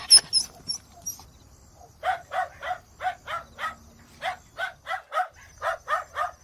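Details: Dog barking in a steady run of short, sharp barks, roughly two to three per second with brief pauses between bursts; a few thin, high chirps open the recording.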